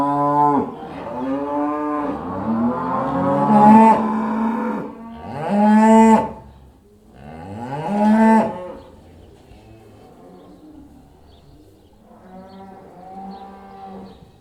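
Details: Cattle heading back into the barn, a string of overlapping deep, drawn-out moos, several loud calls in the first nine seconds, then quieter softer lowing toward the end.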